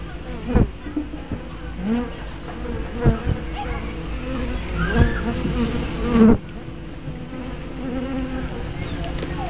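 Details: Hive entrance of honey bees, 24 May 2012, spy cam with 180-degree fisheye lens: continuous droning buzz with frequent swelling fly-by whines and a few sharp taps or bumps.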